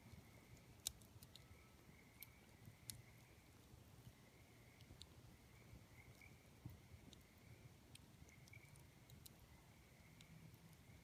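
A night chorus of tree frogs gives short, buzzy trills that repeat every second or so. Sharp pops and crackles from a campfire cut through, over a low rumble.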